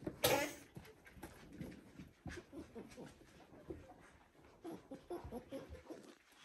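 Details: One-week-old Border Collie puppies of the "U2" litter, indoors: a single sharp, high, rising squeal right at the start, followed by faint soft whimpers and shuffling noises in a small room.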